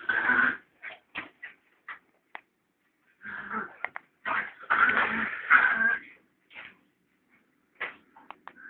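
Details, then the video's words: Play fight between two puppies: shrill whining squeals and short sharp yips come in scattered clusters, with a longer run of loud, strained squealing in the middle. "Puppy Fight"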